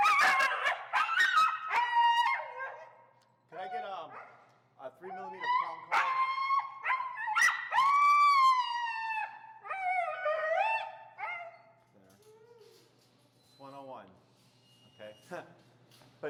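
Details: Feral husky Finnegan voices disagreement while being taught heel under leash pressure, with a near-continuous stream of yowls, whines and yodelling howls that bend up and down in pitch. The outburst fades into softer, scattered whimpers near the end.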